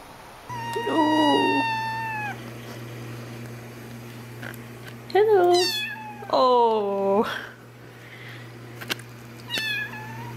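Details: Kittens at play meowing indoors: a long level meow, then after a pause two loud meows that rise and slide down, and a short final mew, over a steady low electrical hum with a few clicks.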